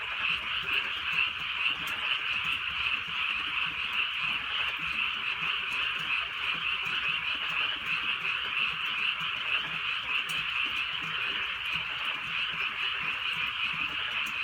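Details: Rural night in light rain with a frog chorus: steady, high, rapidly pulsing croaks overlap into a continuous hum, accompanied by soft patter of rain and occasional drop clicks.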